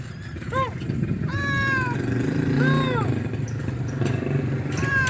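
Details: Big male domestic cat meowing loudly for food: four clear, drawn-out meows with rich harmonics, each arching up then falling, one short and sharp, others longer and wailing, over a steady low engine-like rumble.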